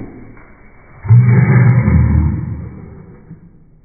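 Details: French Bulldog throwing a tantrum, giving a single loud, low, rough growling roar that starts abruptly, holds for about a second, then trails off into a fading rumble.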